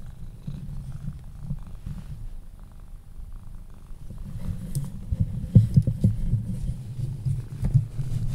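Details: Sphynx cat purring while held and cuddled, falling asleep. A deep, rough purr pulses in close, grows louder halfway through and carries a few soft clicks.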